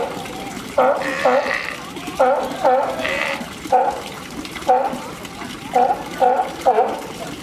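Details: California sea lion pup, Higashiyama Zoo and Botanical Gardens, 27 June 2017, calling its mother while climbing rocks; a series of short, clipped, bleating calls, often in pairs, about eight in seven seconds, with crowd noise behind.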